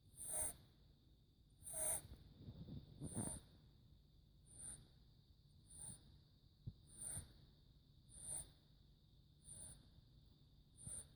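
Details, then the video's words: Four-month-old kitten Max snoring softly: faint, steady breaths come roughly every 1.2 seconds, each a hushed low rasp topped by a thin high whistling hiss, with a brief rougher stretch early on. "Is it normal for cats to snore"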